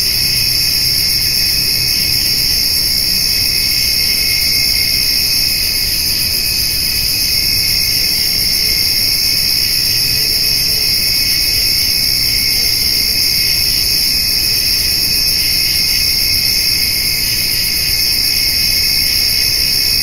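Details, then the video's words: Summer-evening insect chorus of crickets and grasshoppers beside a white-tailed doe and spotted fawn eating hay; shrill, sustained ringing in stacked high bands, slightly pulsing, with a faint low hum. "Summer Evening with Cricket and Grasshopper Sounds"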